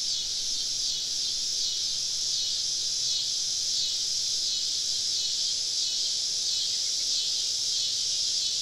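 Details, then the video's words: Many cicadas singing together on a southern summer evening in deep woods near a campsite; an unbroken, shrill droning buzz with slow rhythmic throbbing, loud and steady for the whole stretch. "Southern Evening Summer Cicada Symphony"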